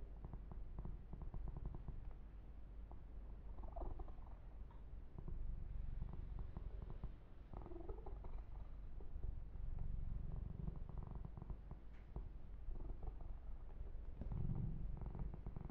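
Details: Kitten Yumak keeps up a low rumbling purr through a long massage, fast pulsing throb beneath frequent rubbing, brushing and soft scratching on the fur.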